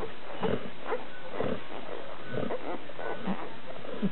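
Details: One-week-old Labrador Retriever puppies from a litter of twelve at a kennel; brief squeaky grunts repeated roughly every half second, nasal and low, over a steady rumbling background.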